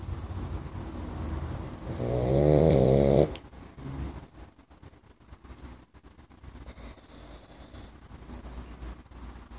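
A Boxer puppy gives one loud, rattling snore, then the room falls quiet.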